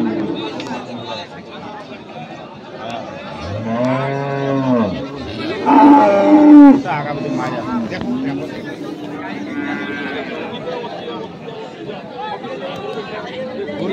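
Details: Beef cattle at Ambari livestock market, Parbatipur, Dinajpur, Bangladesh, on 6/1/2025, a haat held Fridays and Mondays. A deep drawn-out moo swells and fades around four seconds, then a louder, harsher bellow follows, over steady crowd chatter and talk.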